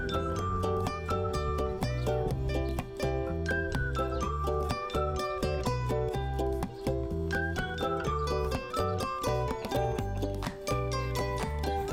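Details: Cheerful plucked-string music, mandolin-like, fills the whole stretch without any barking or other animal sound.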